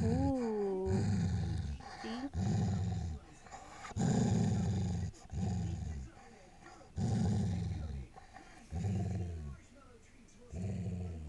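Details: Sissy, a female Airedale Terrier playing with her new toy, gives a long series of deep, gravelly growls in uneven bursts; a brief higher rising vocal sound opens the sequence.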